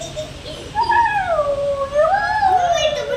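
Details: Siberian Husky giving a long, wavering, howl-like vocal that rises, dips and rises again for about two and a half seconds, sounding almost like talking.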